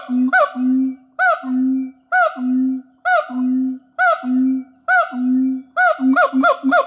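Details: Siamang at a wildlife shelter in Thailand singing with its gular sac: a repeated pattern of low steady hums, each followed by a sharp rising bark-like whoop about every second, speeding into quicker whoops at the end.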